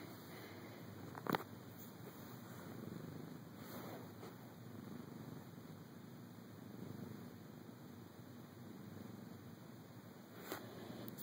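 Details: Felix, a domestic cat napping mid-morning in a dark bedroom, purring after being woken by a camera close to his face. A soft, steady, low rumbling purr runs throughout, with brief sharp clicks near the start and end.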